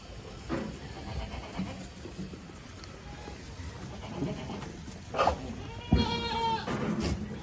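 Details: Pregnant female Sirohi goat at a farm sale. A brief nasal, harmonic bleat with a wavering tone comes late, preceded by a shorter cry. A steady background murmur and noise run throughout.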